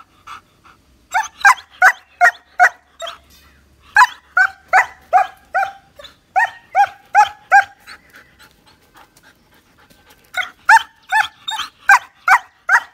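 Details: Nine-month-old male German Shepherd giving bursts of quick, sharp barks at about two to three per second, separated by short pauses and brief quiet spells.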